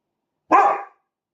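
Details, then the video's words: One sharp, loud dog bark lasting under half a second, in otherwise silent surroundings. "BARKING AT THE UNIVERSE"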